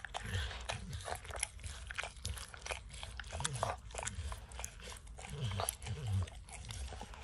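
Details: Max, a dog, licking peanut butter and kibble stuck in an orange mat; close, wet smacking licks and crunchy bites in quick irregular bursts, with dull low thumps underneath and no talking.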